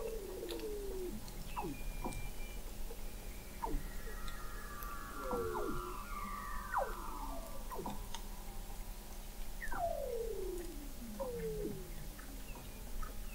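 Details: Under-ice vocalizations of Weddell seals off McMurdo Sound, Antarctica, captured in November 2017 at an observatory 21 m beneath sea ice: many overlapping falling whistles, quick chirping downsweeps and long gliding tones, with constant low droning background.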